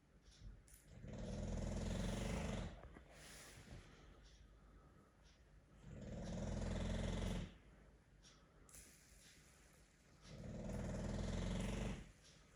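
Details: English Bulldog (Canis lupus familiaris), snoring.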